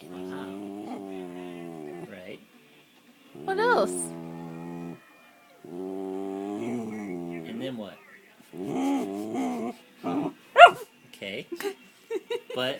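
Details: Elle, a Norfolk terrier, making weird noises: long, drawn-out, tonal moaning howls in bursts of about two seconds with short pauses, then broken yips and grumbles toward the end, while a person talks back to her.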